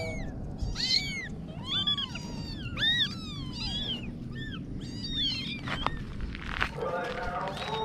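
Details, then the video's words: High-pitched kitten meows come in quick succession, each a short rising-then-falling squeal. Several overlap early on, then they thin out toward the end amid some rustling and a low background rumble. "Little Kitten Adventures (New Video) - Kitty Video Meowing"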